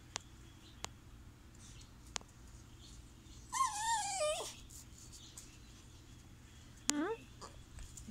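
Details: Blondie, a Chihuahua mix, whines indoors while her owner asks what she wants: a wavering, high, harmonic whine lasting about a second, then a brief rising whine near the end, with a few sharp clicks and room hum.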